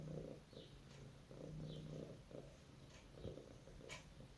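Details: Sleeping domestic cat, apparently dreaming, indoors: a soft, low rumbling purr pulsing in steady breaths about every half second to second, with faint higher clicks and a quiet room background.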